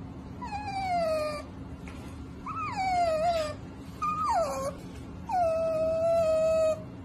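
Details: Domestic cat giving four drawn-out meows, each about a second long, starting higher and sliding down to a sustained lower tone, spaced a second or so apart over a steady low hum.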